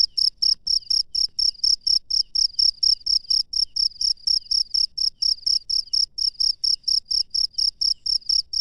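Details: A cricket calling in the wild at night, a very even series of high, metallic chirps at about two per second, strong and uninterrupted over faint low-frequency background hum.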